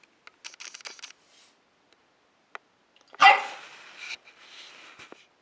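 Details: Two dogs at play indoors, Harvey, a three-year-old whippet/lab mix, and Lola, an 11½-week-old corgi puppy; one sharp, loud bark bursts out midway, with soft scuffling and light pattering of paws before and after.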